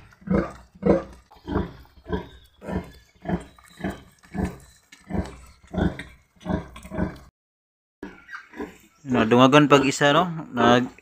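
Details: Domestic sow during farrowing, giving birth to a litter of ten piglets while being cared for by a pig raiser: steady rhythmic low grunts about every half second, then a brief pause and a louder burst of harsh squealing near the end.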